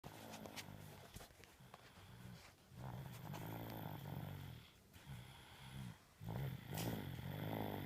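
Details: Tengo, a dog, snoring while asleep: low, rough rumbling breaths in uneven bursts with short quiet gaps between snores, plus faint higher clicks and snorts in a small indoor space.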